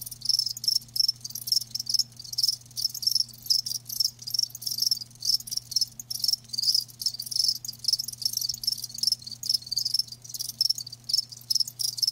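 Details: Live crickets produce dense, rapid, high-pitched chirping that runs almost without pause as a continuous pulsing trill, with a faint steady hum far below.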